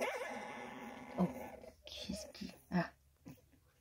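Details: Three-week-old female Staffordshire Bull Terrier puppy, fourth pup of a litter, filmed indoors on 6 May 2022: a wavering, quavering whine opens, followed by short soft whimpers and grunting puffs spaced about half a second apart.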